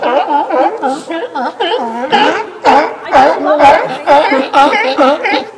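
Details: Several sea lions at Fanny Bay, Comox Valley, Vancouver Island, on Victoria Day weekend give overlapping, wavering, nasal moans and honks while calling for food.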